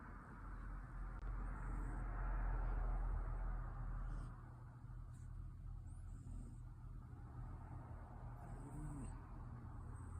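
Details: Domestic cat snoring in contentment, a steady low rumbling drone with rhythmic breathing pulses, strongest in the first four seconds and then softer, with faint high ticks above.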